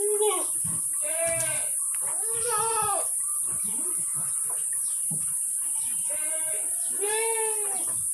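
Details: Bleating Etawa goats, Kaligesing type, at a breeding farm in Kaligesing, Purworejo, Central Java: repeated nasal, harmonic-rich bleats, about five in eight seconds, some overlapping, with scattered clicks and a steady high-pitched hiss behind.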